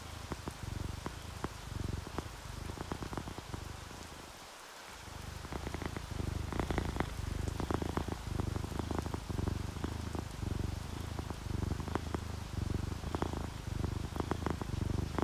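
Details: Purring from sleeping orange tabby and calico house cats mixed with rain seen through a window: a rhythmic low rumble pulsing about once a second, pausing briefly midway, against steady rainfall and scattered drop taps.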